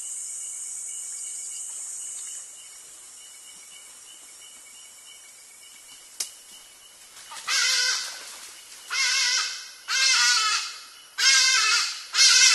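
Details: A sitatunga antelope crossing a creek in Gabonese rainforest near Nyonié, filmed by trap camera and scared by a hadada ibis, gives a run of harsh, nasal bleating calls, each about a second long.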